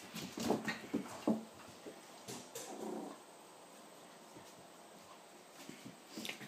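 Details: Seven-week-old puppies of Ava's litter indoors, giving a quick cluster of short, high yelping yips in the first second and a half, then a softer whine, with a person's voice nearby and quiet room noise.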